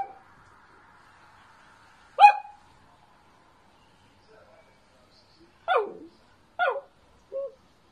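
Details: Playful pet Dachshund, a wiener dog: a faint thin whine at the start, then one sharp bark, silence, and three more short barks close together near the end, over a quiet room.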